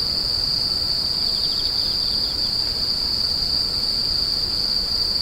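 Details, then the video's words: Screeching insects keep up an even, piercing trill, with quick pulsed chirps early on beneath the steady tone. "The sound of insects crying"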